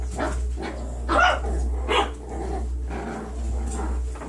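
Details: A litter of 9-week-old foster puppies at play: a few sharp yips and barks stand out against a constant low-pitched hum.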